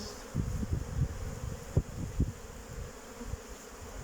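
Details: Honey bees, young ones on their orientation flight around the hive, 8 May 2023, flying nicely after a cold spell. A deep buzzing drone, punctuated by several sharp, louder pulses as bees pass close.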